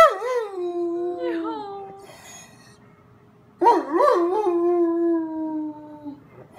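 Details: Lonely dog crying after the owner leaves: a wavering howl sliding downward, a pause, then a long quavering howl that steadies and fades slowly, indoors.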